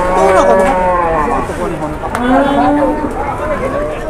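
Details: Large cattle at an Indonesian market, agitated. Several overlapping moos rise and fall throughout amid the busy din of the crowd, with scattered voices mixed in.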